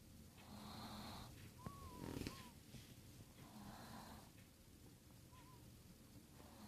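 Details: Snoring Chihuahua with steady raspy breaths about every two and a half seconds, a faint squeaky whistle riding on some of them over a low room hum.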